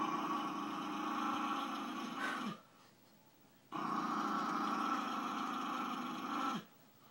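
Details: Bailey, a pet dog described as evil, gives two long sustained growls, each about two and a half seconds, with a short quiet gap between them.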